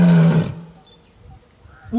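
A lion gives a loud, deep, rasping roar that cuts off abruptly.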